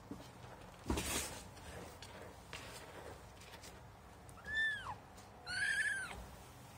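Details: Kitten's first meeting with cat litter; a loud scratching rustle, then two clear high mews, the first bending downward, the second longer and harmonic-rich, about a second apart.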